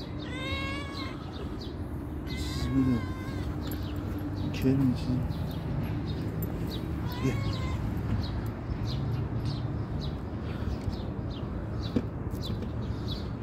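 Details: Called by name, a calico cat answers with several meows, two close together early on and another near seven seconds, each rising then falling, amid a person's brief calls and distant bird twitters.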